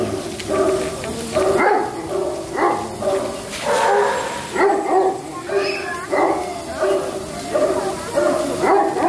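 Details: Around 100 hounds at Château de Cheverny, Loire Valley, France, clamour while waiting for their food: short, harmonic bays and yelps burst out roughly every second, many dogs overlapping in a loud, continuous chorus.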